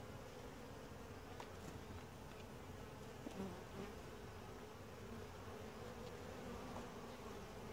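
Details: During a typical inspection, a gentle honey bee colony produces a thick, steady low buzz that holds evenly from start to finish, with a few soft taps from handling in the hive.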